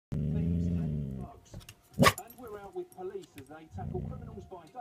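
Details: Laksa the dog growls at a deer seen for the first time through a caravan window: a low, rumbling, steady growl for about a second, then one sharp bark-like burst, followed by human talk.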